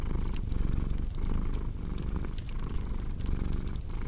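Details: Purring cat with a quick rhythmic rumble cycling about every half second, accompanied by bright pops and hiss of a crackling fire.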